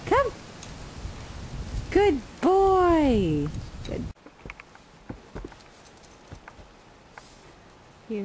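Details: Male French Bulldog out in snow for the first time, walking around the yard; a short high whine, then a long arching whimper that rises and falls, followed by quieter shuffling and one brief whine at the end.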